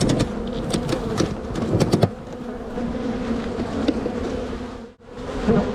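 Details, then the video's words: Spring honey bee hive being divided into a walk-away split, food and brood shared equally. Crowded bees hum steadily, with clattering frame knocks early on and a short silent gap before the humming resumes. "Bee Hive walk away split and relocation"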